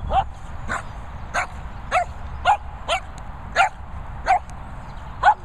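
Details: Two Shih Tzu brothers in a wild, playful mood: sharp, high barks repeated roughly every half second, nine in all, over a low background rumble.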